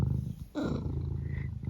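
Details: Pet cat Eric gives a short throaty burst, then settles back into a low, rhythmic purr close to the recorder.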